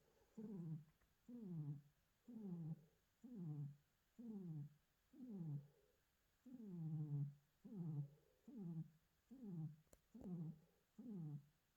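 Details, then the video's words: A tiger, recorded on 9 January, gives low, moaning grunts that slide downward, repeated about once a second. "Tiger strange noises 9 Jan"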